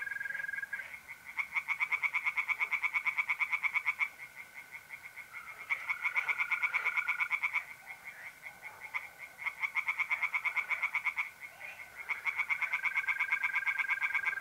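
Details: Pond chorus of tree frogs on an April night in north-east Italy, bursts of fast rattling croaks lasting two to three seconds separated by short gaps, over an unbroken whistling trill of mole crickets.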